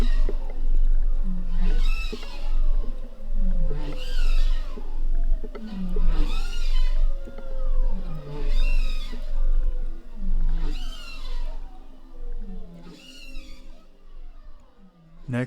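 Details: Bowhead whales recorded by passive acoustic monitoring in the northern Bering Sea around St. Lawrence Island: repeated harmonic swept calls, each rising and falling, about every two seconds, with a low steady rumble underneath.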